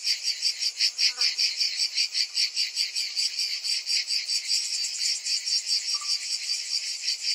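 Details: Many cicadas in summer give a bright, harsh buzzing chorus that pulses regularly, about two or three swells per second; a brief, faint chirp and a short high whistle cut in.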